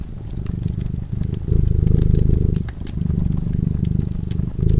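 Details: Cat asleep in front of a crackling fireplace, purring steadily: a low, deep rumble that swells and eases in slow waves about every second and a half, with sharp pops and crackles from the fire throughout.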